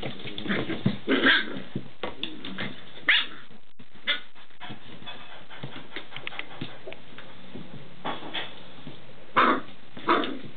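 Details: Noisy play between paired Standard Schnauzer puppies aged six weeks: rapid clusters of yapping barks and growls, a quieter middle with scattered yips, then louder barking bursts resuming near the end.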